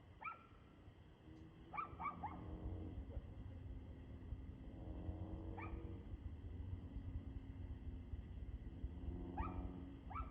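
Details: Evening of 2/6/2024, 6:02 pm: a dog gives single barks and a quick double bark, spaced a few seconds apart, against a droning low-pitched rumble.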